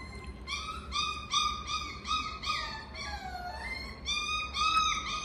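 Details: Miniature Schnauzer giving quick repeated whining yips, short arched tones about three per second, some sliding downward midway, over a low steady background hum.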